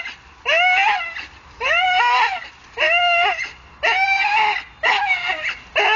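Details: Hanging from a tree, a Staffordshire bull terrier lets out loud, high, tense whining cries, each a sustained wavering tone of about a second, recurring at a steady near one-per-second rhythm.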